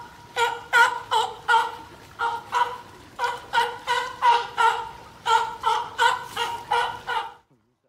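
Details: California sea lions kept at a Nagoya zoo in Japan, an older sibling with a female pup born in 2020, play together. Near-continuous hoarse, buzzy barks repeat about three per second in uneven bursts, then stop abruptly.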